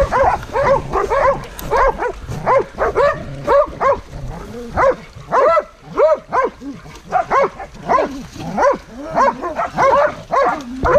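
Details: Hunting dogs squaring off with a wild boar, barking in a ragged chorus of rapid, overlapping barks, close to two per second, some higher yelps and brief lulls between bursts.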